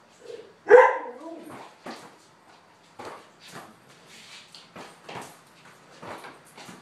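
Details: Border collie playing a little ball game in a garage. One loud, sharp bark near the start, followed by a series of softer thuds and knocks spread through the rest of the recording.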